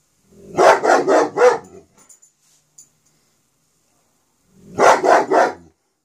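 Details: Barking from Smokey, a dog recorded in Pitman: a fast run of four loud, rough barks, then quiet with small knocks, before a second burst of three barks near the end.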